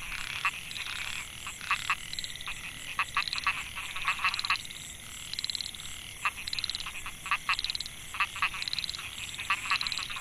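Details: Narrow-mouthed frogs (Microhyla pulchra) in the Mae Hia rice field, Chiang Mai, Thailand, 2014. Males give calls that attract females: crisp rattling trains of rapid clicks, repeated every second or so, over a shrill steady insect background.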